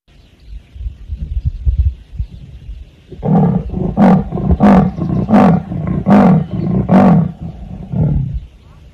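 A leopard's roar comes as a series of coarse, rasping grunts, like a saw drawn through wood, repeated quickly and evenly. Low rumbling background noise comes before the call.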